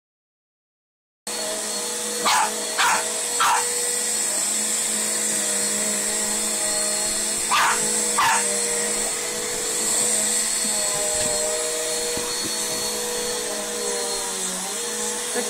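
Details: A Boston Terrier barks at a vacuum cleaner, giving short, sharp barks in quick pairs and triplets over its loud, steady roar.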